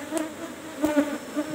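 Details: Swarming buzz of Asian honey bees (Apis cerana) at a kept hive box while honey is harvested. A continuous droning hum with short louder surges near the middle, and faint knocks from handling.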